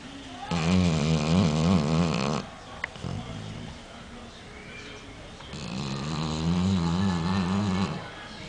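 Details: Yanka, a pet dog, snoring after getting a fright: two long, deep rasping snore bouts, each about two seconds, with a quiet breathing gap between them in an indoor setting.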